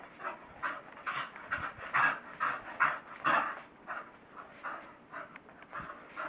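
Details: Steady, breathy panting from Kyree, a female Staffordshire Terrier, after chasing her tail. The huffs come roughly twice a second over a soft background hiss.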